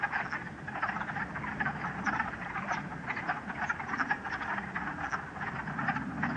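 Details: Many wood frogs chorus nonstop from a vernal pool at West Hill Dam, Massachusetts, on a sunny late-March day with lingering snow: quick, raspy, duck-like clucks piling into a steady rattling chorus.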